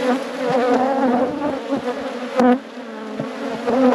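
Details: Honey bee colony at an apiary hive being inspected, a loud close-up drone of many wingbeats, continuous and wavering in pitch, with a few short knocks and sharper bursts as bees pass near.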